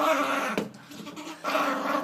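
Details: Reg the angry dog scolding a door inside a small room: a steady, rumbling low growl with a harsh, noisy edge. It dips briefly in the middle, then swells again.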